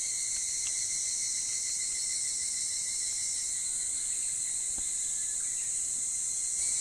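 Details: Higurashi cicadas calling before dawn on a summer morning at Ishiguro, Japan: a steady, high, shimmering chorus holding without a break, with a few faint, brief higher notes over it and no other clear sounds.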